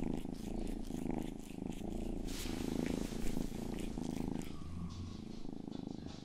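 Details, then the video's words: Continuous throaty purring from Rang-i, a household's youngest cat, licking an ASMR ear microphone indoors; the low drone is rich and even, with soft rustling and a brief lower hum near the end. "ASMR 하는 고양이!(Purring & ear licking sound)"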